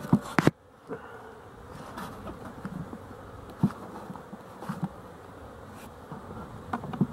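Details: Honey bees at a hive near a slatted rack as the sun goes down and they start to wake up, recorded 12-11-23; a soft, diffuse hum of buzzing with scattered sharp taps and clicks.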